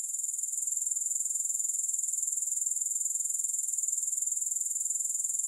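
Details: Grasshoppers give a constant shrill insect trill, high and finely pulsed, swelling slightly in the first second and then holding level, with nothing else audible.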